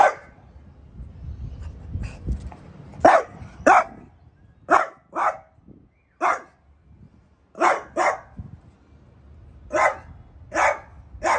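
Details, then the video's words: Barking at a new artichoke plant, Piper the French Bulldog lets out about a dozen short sharp barks, some doubled, spaced roughly a second apart, with low background rumble. "PIPER takes on the new ARTICHOKE PLANT"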